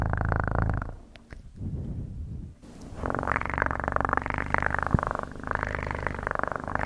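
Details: Pet cat purring: a coarse low vibrating hum, dipping to a quieter rumble for about two seconds before returning strong and breathy, with a faint click or two.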